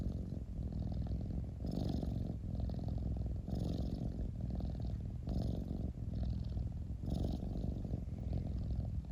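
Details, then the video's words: Pet cat giving a steady deep rumbling purr, pulsing in breath-length waves of about two seconds, with faint airy hiss at each inhalation and no other sounds. "Cat rumbling sound 猫のゴロゴロ音"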